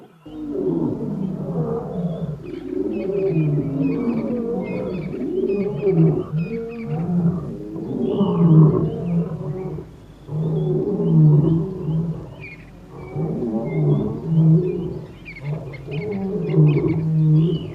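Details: Lion in the African bushveld, with deep, rumbling, overlapping roars and growls swelling and fading in waves. Faint bird calls sound above the roars.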